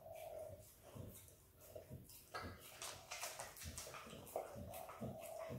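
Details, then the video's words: A female Kelpie x Border Collie puppy called Izzy works at peanut butter, making quick, uneven runs of sticky tongue clicks and slurps; a soft hum fills the quieter first seconds. "Happy puppy dog licking peanut butter!! Dog licks & eats peanut butter ASMR!"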